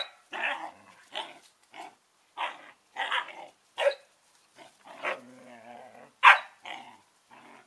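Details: Collie puppies Norris and Amica, eleven weeks old, in play talk: a run of short high barks and yips interspersed with wavering growly whines, irregular spacing throughout.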